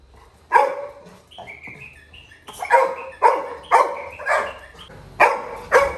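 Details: Little John, a Labrador Retriever puppy in a village, cries after his brother leaves the house: loud, harmonic yelping barks in an irregular run of about eight, with a few thin, high whines in between.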